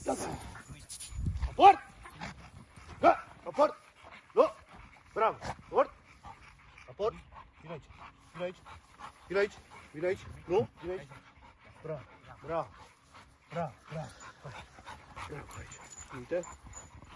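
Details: American Bully XXL dog in security and protection training, giving a long run of deep, forceful barks in irregular bursts, roughly one every second or so, with human voices giving commands in the background.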